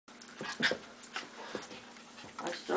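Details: A Shih Tzu and Sheltie mix dog pesters a Golden Retriever that is not interested, wanting it to play. Short whiny yelps and soft vocal bursts, strongest near the half-second mark and again at the end, with brief human voice nearby.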